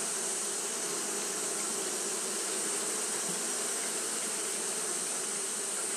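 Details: Japanese honey bees fanning continuously on a hot day: a steady, unbroken wing drone with low humming bands, overlaid by a constant high-pitched hiss throughout.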